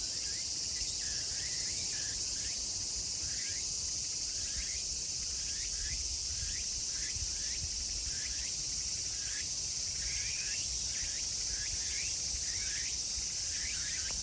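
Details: Late-summer chorus of Meimuna opalifera cicadas in Kawagoe, Saitama, Japan, 24 August 2020: sustained piercing hiss with series of quick rising chirps, bunched in bursts, over low background rumble.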